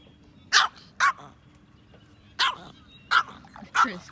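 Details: Yorkshire Terrier during a fishing outing barking in quick bursts, five sharp yaps in about four seconds, some paired closely, with faint voices between.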